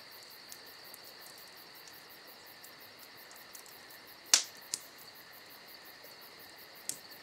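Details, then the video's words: Summer night crickets keep up an unbroken high-pitched trill while a campfire crackles, with a sharp loud snap just past four seconds, a smaller pop after it and another near the end. "Summer Night Crickets & Crackling Fire"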